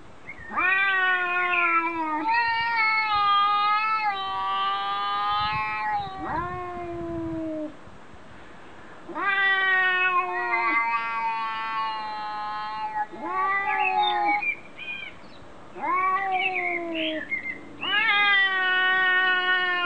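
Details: Cats arguing in a funny compilation: long drawn-out meows, several overlapping, with strong harmonic stacks that waver and slide downward, coming in bursts of two to four seconds separated by short pauses.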